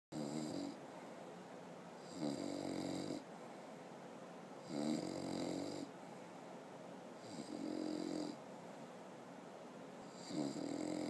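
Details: A 6-month-old English bulldog snores loudly in deep, rattling breaths repeated about every two and a half seconds.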